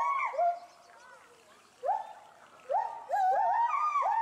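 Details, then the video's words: Two captive agile gibbons in Bristol, UK, loudly agitated over something in the bulrushes below their enclosure. Sliding, falling notes lead into a pause, then sharply rising hoots return and quicken into overlapping calls. "GARRULOUS GIBBONS ~ Agile Gibbons (Hylobates agilis)"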